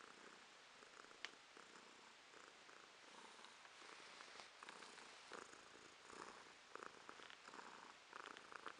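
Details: Romashka, a pet cat, purring in November 2022; soft rhythmic purring with breathy pulses, less distinct than a close recording, a few faint clicks and a low hiss behind it.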